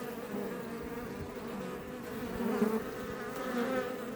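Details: Swarm of Apis mellifera iberica outside a Langstroth hive close to Els Port National Park, Catalonia, Spain; constant droning hum of many bees, individual wingbeats rising slightly louder past the halfway point.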